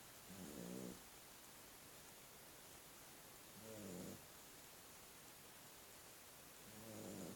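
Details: A puppy sleeping after two hours of intense play snores softly, with three low, raspy breaths spaced about three seconds apart over a steady hiss of background noise.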